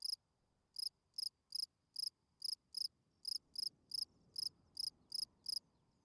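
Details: Field cricket singing at night, a calling song meant to attract females: about fourteen short, high, pulsed chirps in six seconds, spaced unevenly with brief pauses, over a faint low background rumble.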